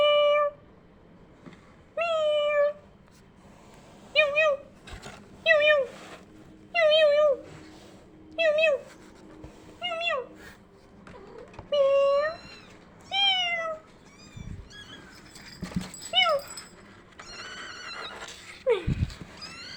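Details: Kittens indoors hearing a sound like their own: a long run of short, bending meows in quick succession, some rising then falling, fading into softer chirps and a few knocks toward the end.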